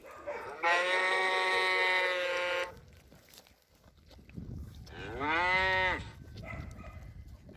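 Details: Cow mooing twice: first a long, level, nasal moo of about two seconds, then after a quiet pause a shorter call that rises and falls in a smooth arch; faint low background noise.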